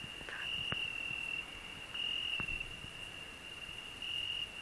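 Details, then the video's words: Cricket singing on a rose bush, heard together with a grasshopper; a steady, high, pure chirring tone comes in three bursts of about a second each, separated by short pauses, over faint rustling and a few soft clicks. "Cricket and grasshopper singing"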